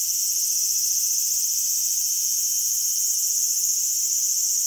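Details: Cicada in a small garden, August 5, 2020: a steady, dense, very high shrill buzz running unbroken throughout, with nothing else clearly heard.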